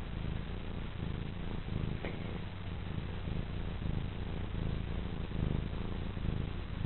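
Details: Contented young female house cat dozing on a lap and purring, a deep even rumble that holds without pause from start to finish in a quiet indoor setting.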